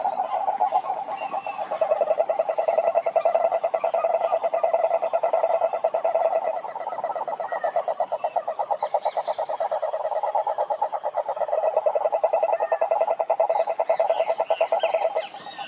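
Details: A chorus of cururu toads (Rhinella marina) in a lake in Curitiba, Brazil, a dense low pulsing trill droning on without pause.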